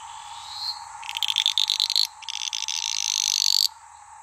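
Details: Sedge frogs fighting near Maleny, Queensland; rapid rattling bursts of high clicking pulses, a stuttered run then a longer steady buzzing trill, over a constant droning background of insects or frogs.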